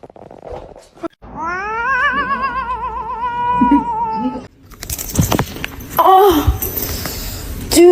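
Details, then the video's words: Cat giving a long, drawn-out wavering meow that holds steady for about three seconds, followed by clattering noise and brief human voices. "kitten meowing call"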